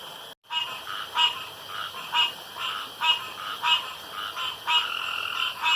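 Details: Frogs calling around a pond after dark; short raspy croaks repeat roughly once a second, with overlapping callers and a steady high background hiss.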